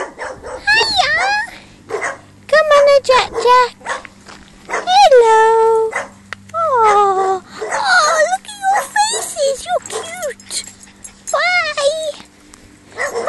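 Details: Dogs barking, with loud harmonic barks and howl-like whines that drop in pitch, coming in clusters throughout, some overlapping, with a steady low hum underneath and some speech.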